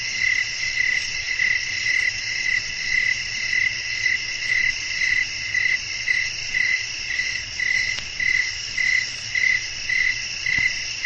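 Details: Evening nature soundscape of chirping crickets and wind; sharp high pulses recur almost twice per second in a steady beat, layered over continuous shrill insect buzzing and a light low hum.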